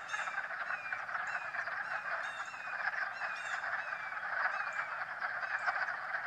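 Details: March frog chorus from swimming frogs, an unbroken buzzing wall of overlapping croaks with short rising notes and scattered clicks standing out above it.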